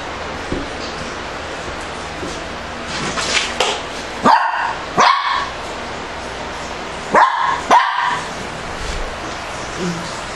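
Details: Playful barking from Shih Tzu dogs as five-week-old puppies romp with an adult male and a young female; several short sharp barks in two pairs, with faint scuffling and soft background noise between them.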